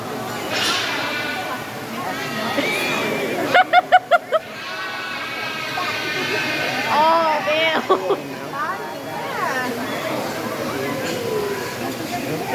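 A giant otter gives harmonic squealing calls that rise and fall, with people talking nearby.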